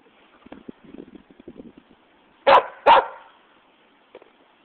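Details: West Siberian Laika barking for a toy, with a Shiba Inu present: soft scuffling and small noises, then two loud, abrupt barks in quick succession, followed by a faint click.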